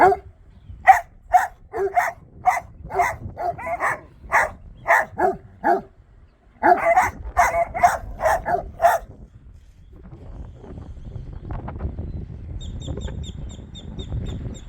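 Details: Dogs fixated on a bare piece of ground, barking in quick succession for about nine seconds before falling silent. Faint murmuring follows, and a soft, high, repeated beeping is heard near the end.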